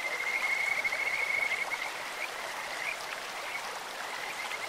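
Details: Kajika frogs singing at a clear stream: a loud, high pulsed trill in the opening two seconds, then scattered softer chirps, all over steady rushing water.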